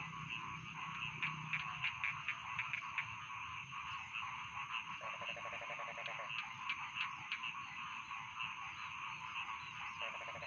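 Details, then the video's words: Rice field frog chorus with rapid bursts of loud clicking notes early on, then a low, fast, rattling pulsed croak joining for stretches against the steady trilling background. "Bedtime Frog Sound || Suara Katak Sawah Pengantar Tidur"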